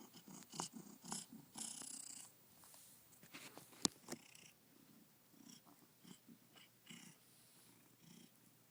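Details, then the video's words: A happy male domestic cat, newly adopted and filmed hours after arriving home, purring near his window sill; uneven soft purr bursts with rustles and a sharp tap midway in a quiet room. "Dancer is Still Purring"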